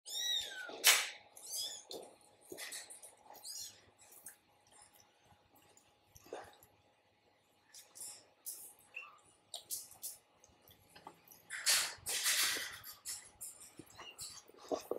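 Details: Kittens meeting a German Shepherd for the first time; a high, thin descending mew opens the clip, followed by scattered short squeaks, rustling and bumping noises.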